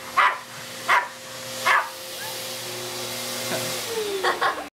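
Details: A pug puppy barks at a vacuum cleaner with a wand attachment it is seeing for the first time, giving three sharp barks about a second apart, then softer yips, over a steady motor hum.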